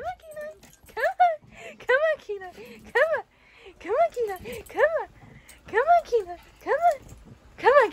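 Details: Young Siberian Husky chased by a shih tzu during a lesson in jumping up on a bed; nearly continuous high, bent whimpering yips in uneven bursts with brief pauses, over a person's encouraging voice calling it to come.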